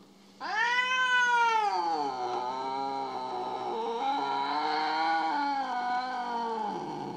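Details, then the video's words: Mo, a pet cat described as jealous and still mad, gives one long wavering yowl lasting about six seconds, rich in harmonics, rising at the start, then holding steady with slight dips; faint music underneath. "Cute cats feel jealous Funny jealous cats compilation"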